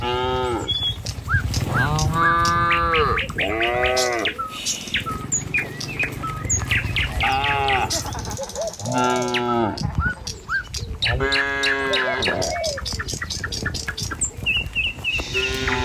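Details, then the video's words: Village cattle walking the road to their pen in the morning: a series of full, harmonic moos, some rising then falling, spaced a few seconds apart, with scattered bird chirps and rustling hoofsteps behind. "Suara Sapi Moou Sepanjang Jalan Menuju Kandang"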